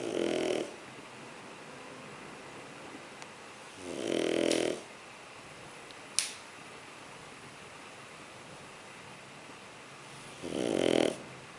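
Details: Shar Pei puppy asleep indoors, snoring in three broad rasping snores spaced about four to six seconds apart, with quiet breathing between and a sharp click near the middle.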